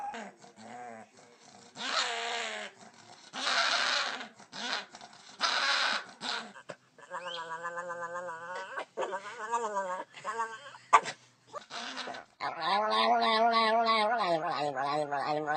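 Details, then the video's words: Dog making weird sounds: a run of varied harmonic whines, wavering yodel-like howls and breathy hisses, separated by short pauses, ending in a sustained, warbling howl. "Weird sounds that dogs can make"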